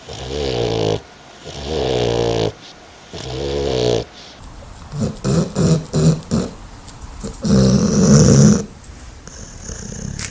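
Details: A dog snoring in its sleep, with deep rumbling breaths of about a second each, then a run of short choppy snorts, then a louder final snore.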